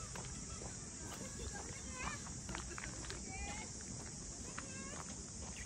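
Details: Steady high-pitched buzzing of cicadas at Ine no Funaya, a boathouse village north of Kyoto, Japan, heard while walking; short rising chirps from birds, footsteps and quiet voices sit beneath the continuous drone.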